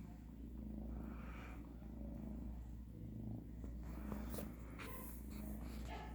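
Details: Siamese shelter kitten at the vet, among littermates Tilly and Tia treated for a UTI; a steady low rumbling purr pulses throughout, with a faint room hum and a few soft clicks near the end.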